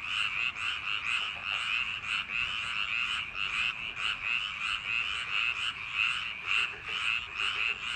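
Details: Frogs in rice paddies on a summer night, calling en masse. Harsh, buzzy croaks repeat in quick overlapping bursts, rising and falling slightly, a constant busy chorus from start to finish.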